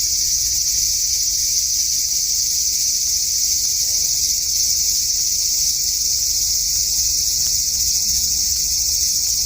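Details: On the evening of 5 August 2012, a cicada in a cherry tree in a front garden gives a continuous shrill, metallic buzz that holds steady throughout, over a quiet low hum.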